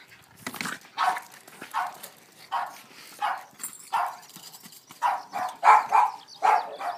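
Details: Excited Boston Terrier Rose playing football, rolling a ball skilfully: a steady run of about ten short barks and yips, roughly one every half second, growing louder and denser toward the end.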